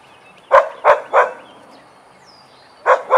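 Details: During den playtime, Vizslas Biscuit and Jericho bark in bursts: three rapid punchy barks, a short pause, then two more in quick succession.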